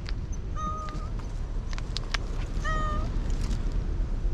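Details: Cats waiting for dinner at a park entrance; two clear harmonic meows, each about half a second long and steady in pitch, about two seconds apart, over low traffic rumble and outdoor noise.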